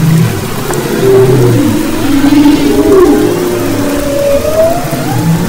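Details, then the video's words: Humpback whale song recorded off west Maui, February 22-24, 2011, with long drawn-out tonal moans that slide slowly upward, a brief high chirp near the middle, and a constant low hiss and rumble underneath. "Humpback Whales and Their Songs"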